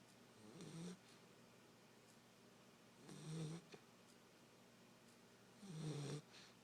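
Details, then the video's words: Nine-week-old basset hound puppy out cold on a couch indoors, snoring in three low rumbling breaths roughly every two and a half seconds, each a short nasal snore with a breathy hiss, quiet room between. "the snoring basset hound puppy"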